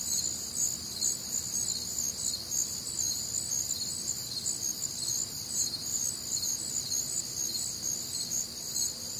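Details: Nocturnal cricket chorus recorded on a warm, humid summer night in the Midwest, many insects trilling at once in high, shimmering, rapidly pulsed bands that never pause, over a faint low background murmur.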